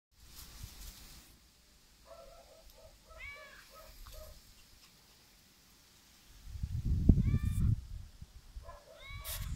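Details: Mini Yorkshire Terrier puppies, a male and a female, give thin, high whimpers and squeaky yips in short repeated bursts.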